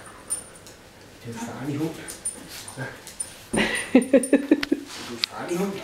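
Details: Husky and French bulldog puppy meeting for the first time indoors, the husky ten years old and the puppy ten weeks; a run of short, high whimpering yelps pulses rapidly mid-clip amid soft human voices speaking Danish.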